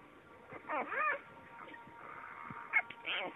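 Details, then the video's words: Vizsla puppies whining in short arched cries, one rising then falling, others quieter and overlapping, over a low constant hum. "Vizsla kölykök"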